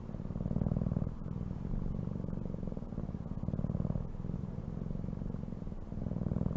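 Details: Cat purring close up, a throbbing low rumble alternating between stronger and softer breaths every second or so, with small clicks in between.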